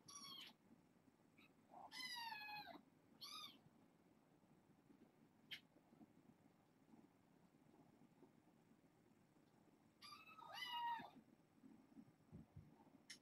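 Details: Six fostered kittens, four girls and two boys born August 29th, at bedtime indoors: a burst of three quick meows early on, then a quiet stretch of rustling, then a longer, louder pleading meow near the end.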